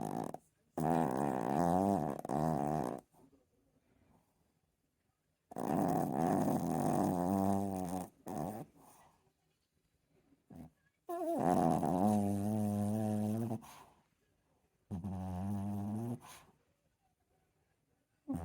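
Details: Chihuahua snoring loudly: long droning, harmonic rasps lasting two to three seconds each, rising and wavering in tone, returning about every five seconds with silent pauses between breaths.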